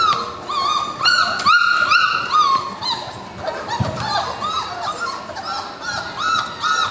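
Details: A litter of puppies at four weeks old, born March 7, 2010, whimpering together: overlapping high, whining cries, some flat and drawn out, others short and arched, repeated rapidly throughout with several pups calling at once.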